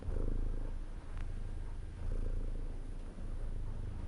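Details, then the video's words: Brief stretch of a house cat purring, a dense, rumbling low hum with two slight dips as the breath turns, otherwise unbroken and even. "CAT PURR"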